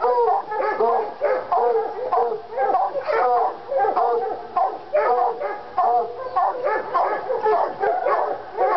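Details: Two Treeing Walker Coonhounds, Lady and Cooper, worked up over a coon skin in North Carolina; a steady stream of overlapping bawls and barks, each short and ringing with stacked harmonics, several per second, no pauses.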